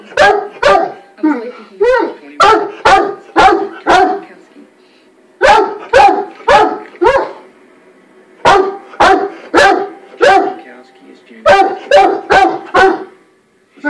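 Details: A male Weimaraner barks in sharp, deep bursts of three to five, pausing between volleys, apparently freaking himself out.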